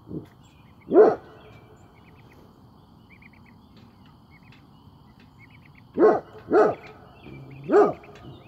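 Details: Great Pyrenees on watch, barking: one single deep bark, a second a few seconds later, then a run of three loud, resonant barks spaced under a second apart, with quiet background and faint bird chirps.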